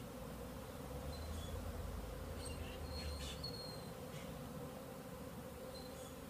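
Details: Crowds of bees flying in the air around beehives, thought to be young bees taking orientation flights rather than a swarm; a continuous low wing buzz, a deeper rumble for a few seconds, and scattered short high-pitched chirps.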